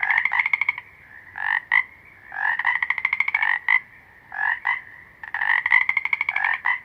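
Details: Dense toad calling: rattling pulsed trills and clipped double croaks run nearly continuously, one burst rolling into the next, above a faint steady high hum.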